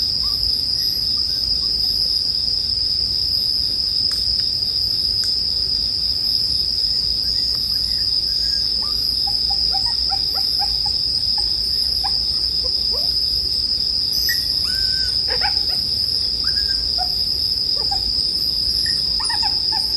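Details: Bell cricket chorus mixed with the sound of a bonfire, intended for sleep: a constant high ringing drone runs throughout, with scattered short chirps and whistles mid-clip and occasional sharp crackles.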